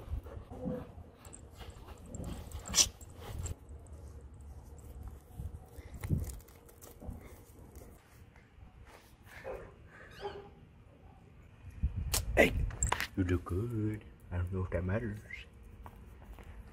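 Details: Pet dogs, including a Chihuahua dressed as a bat and a Husky, jealous over each other's Halloween costumes, the Husky howling with excitement. Quiet rustling gives way to a burst of short, wavering whines and yowls near the end, with a person talking.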